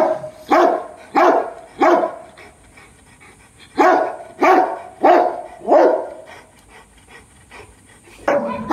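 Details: Barking from Brutus and Roxy, a Dogo Argentino family: three quick barks, then a second trio after a short gap, a quiet stretch, and one final bark at the end.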